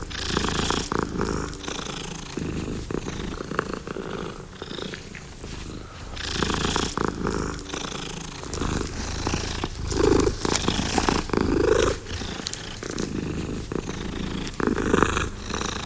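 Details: Long steady purring from a domestic cat, low rhythmic rumble pulsing with each breath, loudness waxing and waning throughout.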